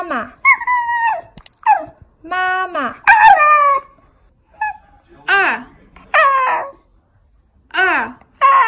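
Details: Domestic cat in a funny talking-cats compilation, giving short arched meows that rise then fall, several separate calls spaced through the stretch, some flatter and wavering, with quiet gaps between them indoors.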